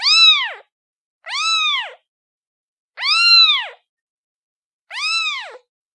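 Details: Domestic cat kitten giving four bright, arching mews, each about half a second long, rising and dropping in pitch with strong overtones, separated by short silences; nothing else audible.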